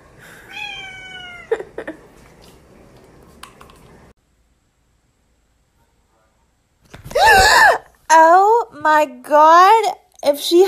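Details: Cat indoors giving a steady meow, then a short silence, followed by a run of loud, bending meows repeated in quick succession, with a person's voice mixed in.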